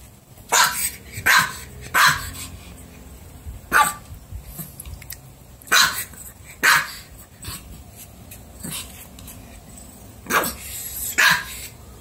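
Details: Puppy barking in sharp, bright single barks spaced irregularly a second or two apart, about nine in all, with faint background hiss between them.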